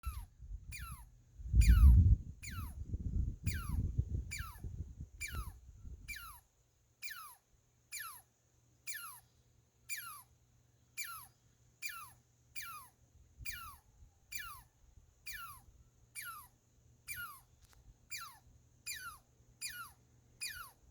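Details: Squirrel giving high, sharply descending whistled sweeps like laser blasts, about one every 0.6 seconds. A loud low rumble of handling noise covers the first six seconds, then the calls continue steadily over quiet background.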